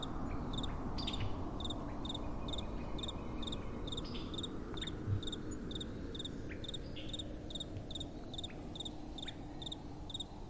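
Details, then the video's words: At night, crickets keep up rapid chirping, several overlapping in quick regular pulses about twice a second, with occasional fainter sweeping chirps, set against gentle wind and a low steady rumble. "Relaxing Night Time Sounds | Crickets & Soft Wind"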